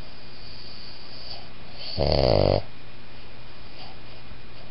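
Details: Whisper snore from a sleeping Boston Terrier-Pug cross: a single half-second rough, breathy snort in an otherwise quiet indoor room.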